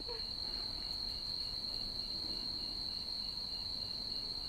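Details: Two red-spotted toads mating in a back yard, seen by flashlight, calling deafeningly: one sustained, high-pitched steady trill running unbroken through the whole stretch over faint background hiss.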